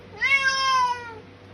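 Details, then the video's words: Indoor Bengal cat at feeding time, one of three cats awaiting dinner, letting out a loud, drawn-out meow of about one second that sags slightly in pitch. A person talks to the cats just before and after. "Feeding time (shouting meows)"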